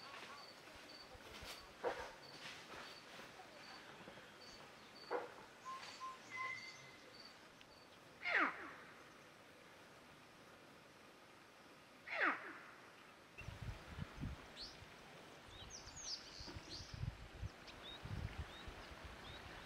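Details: Female bushbuck outside Naivasha in February 2023, barking with her baby nearby as a Fish Eagle perches in the tree above. Two loud, harsh, falling barks about four seconds apart, with small birds chirping and low rustling noise toward the end.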